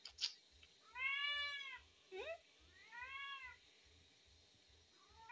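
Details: Hungry tabby cat indoors meowing: two drawn-out, arching meows that rise then fall, separated by a short upward chirp, with a brief softer call at the end and a steady low pulsing in the background.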